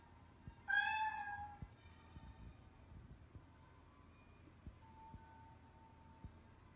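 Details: A pet cat from the household of Adi, Mihu and Momo, shown in everyday home life, gives one short clear meow that falls slightly in pitch and lasts under a second. Quiet indoor room noise and soft scattered taps follow.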